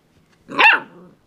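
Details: Pet dog playing with a doorstop gives a single sharp, loud bark lasting about half a second, rising then falling away, in an otherwise quiet room.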